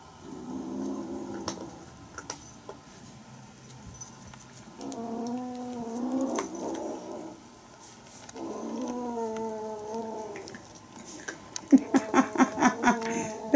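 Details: Playing Bengal kittens from Aurora and Coco's litter give several drawn-out, wavering harmonic calls about a second and a half long, spaced by pauses, ending in a burst of rapid pulsed sounds and clicks.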